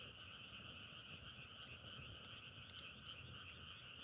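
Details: Many frogs croak as one continuous pulsing chorus in two bright tones, accompanied by scattered crackles like a burning log fire.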